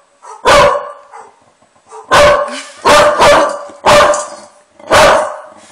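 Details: A pet dog angrily reacts to friendly dog sounds played to it, giving six loud, rough barks, two of them in a quick double, spaced unevenly across a few seconds.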